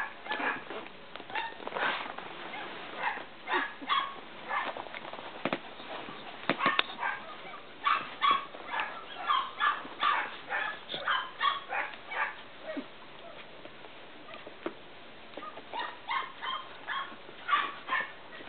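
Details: Cavalier King Charles Spaniel puppies out of Danny and Daisy, one getting sleepy, keep up scattered, shrill squeaks and whimpers, some clicks and rustles between, with short quiet gaps.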